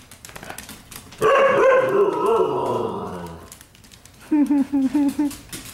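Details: Pet dogs romping indoors in a living room at night, 15 May 2014: a drawn-out, wavering, moaning vocalization lasting about two seconds, then five quick, high, evenly spaced yips, with a person's voice in the room.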